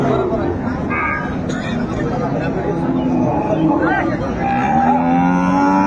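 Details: Cows with calves for sale at Ambari market, Dinajpur, on Friday 28 February 2025; a few low, drawn-out moos, one sliding upward near the end, rise through steady crowd chatter, talk and background music.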